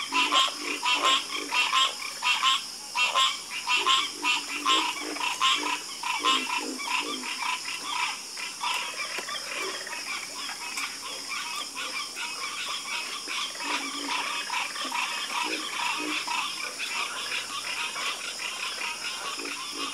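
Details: Chorus of frogs croaking: dense, overlapping rasping croaks pulse in quick succession, around eighty a minute, with a softer low tone beneath and a steady background hiss.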